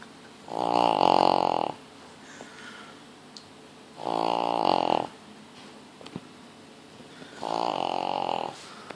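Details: A sleeping pug snores in three drawn-out, harsh, buzzing breaths lasting about a second each, repeated every three seconds, quiet room in between.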